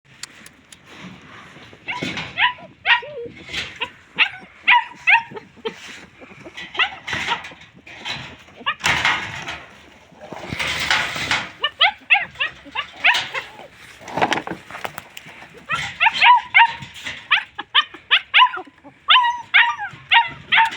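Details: Homeless dogs, said to be hungry and thirsty, calling out: many overlapping short, high, sharp yelps and whimpering whines in rapid clustered bursts, broken by a couple of harsh noisy rushes and a brief pause midway.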